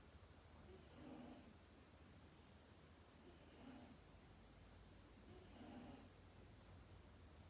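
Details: Indoors, the pet cat Dayako snores softly while sleeping: three faint, breathy, low rasps spaced about two and a half seconds apart, set against a persistent low hum and hiss.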